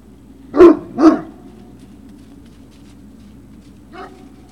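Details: Great Dane puppies at Puppy Hill, filmed 3 June 2019 in the afternoon, give two sharp barks about half a second apart, then a faint yip near the end, against a constant low background hum.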